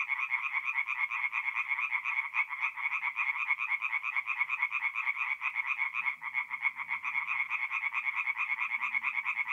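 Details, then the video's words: Tree frogs calling at night from a forest pond in North-East Italy in mid-April; continuous quick, pulsed croaks from many frogs, about two per second, with a faint low hum briefly in the background. "relaxing forest pond by night with singing tree frogs"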